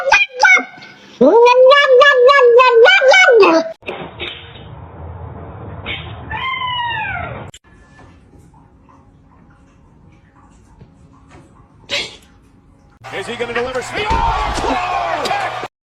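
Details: Kittens meowing indoors: a loud run of rapid, harmonic-rich meows in the first few seconds, then a softer drawn-out rising-and-falling mew, a quiet gap, and a final burst of mixed noisy sound with meows.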